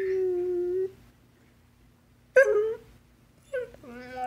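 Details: Basset hound pet vocalizing indoors as if talking to its owner: a held mournful tone, a pause, then a short yelping whine and a rising drawn-out moan, each with rich harmonic overtones.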